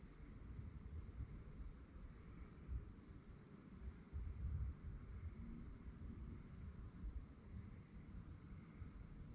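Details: Crickets at night give a bright, evenly pulsed high chirp that never pauses, backed by a low rumbling ambience with a few soft thumps.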